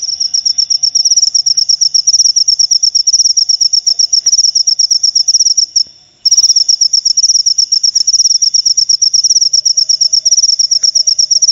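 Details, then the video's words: Cricket chirping in a fast, high, pulsing trill that stops briefly about halfway, then resumes just as loud and steady. "Suara Jangkrik Pengusir Tikus"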